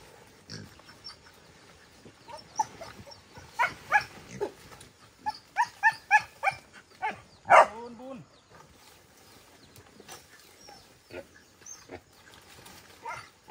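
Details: Captive wild boars out on a walk give a run of short harsh grunts, then one loud rising-and-falling squeal.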